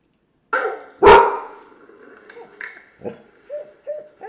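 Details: Pet dog reacting to a computer gives one loud sharp bark, then softer whines and short yips trailing off.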